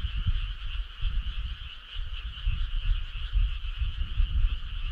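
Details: Frogs in chorus on a midsummer night in rural countryside: dense, continuous shrill trilling overlaid by frequent low, pulsing croak-like thumps that come in uneven bursts.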